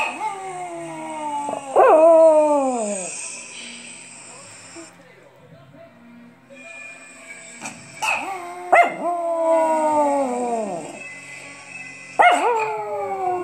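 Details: Small Chihuahua howling in response to bells, giving drawn-out descending wails that begin with abrupt yelps, with quieter gaps, a steady high ringing tone and some background voices.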